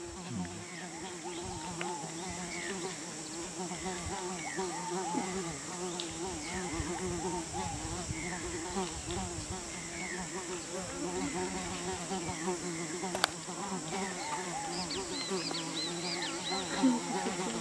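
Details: In Peru, a giant otter that has swum away from its group eats a large fish in peace, giving a steady, wavering, buzzy hum with faint high chirps near the end.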